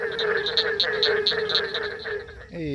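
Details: Barking treefrogs calling from deep water at a night breeding site in Ocala National Forest, a steady chorus of rapid hollow notes about four per second, ending with a brief human voice.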